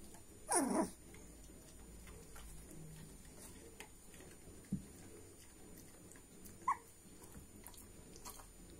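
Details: Welsh Springer Spaniel puppies, 16 days old, from a litter of five males and three females born 3 July 2020; one short falling whine near the start, a brief squeak later, over quiet background hiss.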